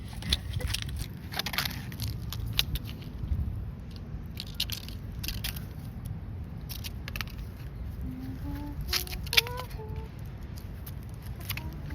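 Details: Crackling and scraping handling noise over a low rumble, with faint speech and a short run of rising musical tones near the end; no animal voice.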